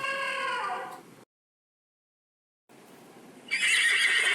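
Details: Horse neighing: a wavering, harmonic whinny for about a second, then a short silence and a burst of harsh, broadband noise.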